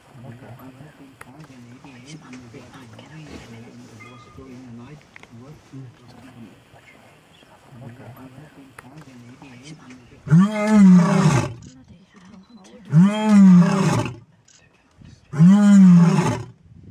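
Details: A male white lion at Pumba Private Game Reserve, Eastern Cape, South Africa, calls to his females in late afternoon. Quiet human talk comes first, then three loud, deep, drawn-out roars follow about two to three seconds apart.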